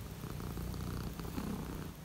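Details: Cat purring on a cold morning, a low steady rumbling purr close to the listener, with a person talking quietly nearby.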